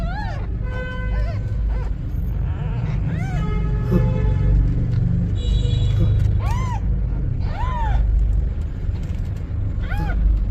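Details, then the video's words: Mother cat seeking help, with newborn kittens: high, arching mews rising then falling, repeated every second or two across the stretch, some with a whining tail, over steady low rumble and a few faint tonal sounds. "Mother cat ask for help! Newborn kittens meows"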